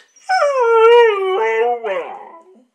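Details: Female Siberian Husky born in Sweden in 2013, uttering a single drawn-out, talking howl lasting about two seconds, slightly wavering in pitch, breaking into a rougher, falling yowl at the end.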